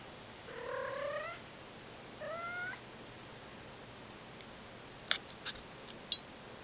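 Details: Aki the cat, busy with her various toys at home, makes two rising chirps about a second apart, the first longer, then sharp clicking knocks of toys as she plays.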